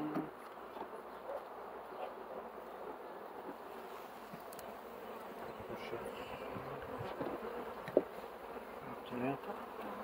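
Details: Bees buzzing in a dense, steady drone that fills the whole stretch, with soft clicks and knocks scattered through it and a sharper tap near the end.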